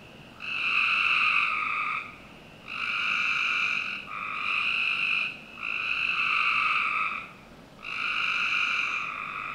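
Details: Frogs on a summer night behind a Northern Virginia home produce five droning, nasal bursts of roughly one to two seconds, evenly spaced and strongly harmonic.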